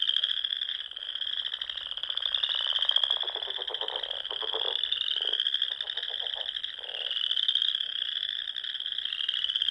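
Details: Frog song rising from the small lakes of Nebraska's Sandhills on a spring evening, a high continuous trilling drone, with a cluster of lower pulsed croaks in the middle section before the steady chorus resumes.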